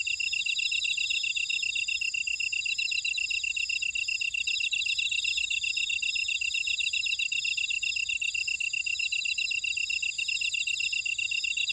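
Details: Many grass insects in a Jeju buckwheat field, Ora-dong, Jeju City, South Korea, keep up an unbroken shrill chorus: layered high trilling and fast buzzy pulses that hold an even level throughout.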